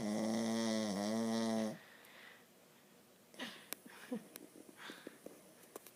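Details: Dog snoring in its sleep, one drawn-out snore with a whistling, harmonic tone that dips briefly mid-breath, followed by near silence with soft clicks and small shuffling noises in a small room.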